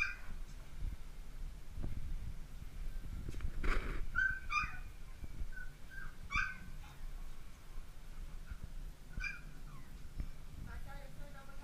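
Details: Dalmatian puppies at play: short, high yips and whimpering whines come in scattered bursts, some paired or in quick runs, over soft thumps, scuffling and rustling from the romping litter.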